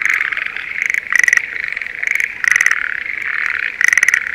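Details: Schlegel's green tree frogs in breeding season, calling in a spring rice paddy near Sendai, Japan. Loud pulsed croaking bursts with bright overtones stand out about every 1.3 seconds over a steady frog chorus.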